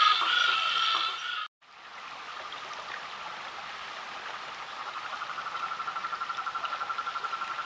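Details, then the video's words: Rainforest frog recorded in SE Brazil producing a steady, fast pulsed trill at mid pitch, nearly four pulses a second, building in strength over a hissing background, after a brief noisy opening section. "Rainforest frog vocalizations"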